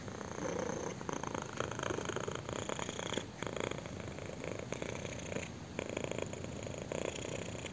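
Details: Kitten purring contentedly as its chin is scratched, a dense rattling rumble in rhythmic breath cycles with a couple of brief dips in loudness, recorded up close.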